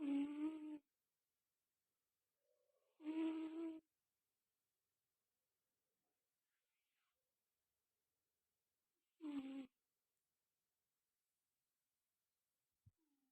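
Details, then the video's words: A pet Angora cat snoring in its sleep indoors. Three separate nasal, hum-like snores, each under a second long, come several seconds apart in an otherwise silent room. "Kitty Tidur Nya Ngorok Guyss"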